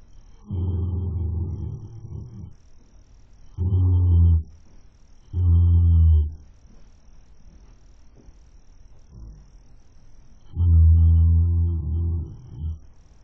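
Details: A horse snores loudly in its sleep, caught on a webcam: four heavy, low, rattling snores, each about a second or two long, with irregular pauses and softer breathing between them.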